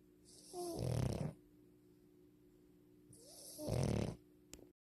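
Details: French Bulldog asleep, giving two deep, rumbling snores roughly three seconds apart, each a heavy rattling inhale with a faint nasal squeak at its start, quiet between breaths.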